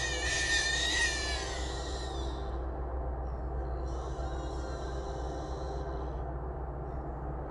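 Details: Trapped wild hogs, three in a small trap, heard around 1:55 at night: a long harsh squeal of about two seconds, a pause, then a second, thinner squealing stretch, all above a continuous deep hum.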